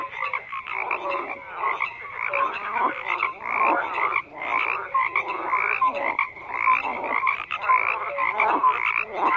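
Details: Numerous frogs croak in an unbroken, noisy chorus, with rasping calls that swell in bursts roughly every second and a scattering of short clear piping notes among them.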